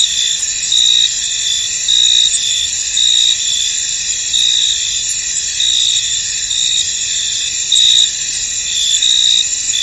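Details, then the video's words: Many crickets sing in a mist-covered field; a constant high ringing drone carries louder chirp pulses lasting under half a second, returning unevenly roughly every second, with no other sounds standing out. "Tranquil Cricket Sounds In An Misty Field"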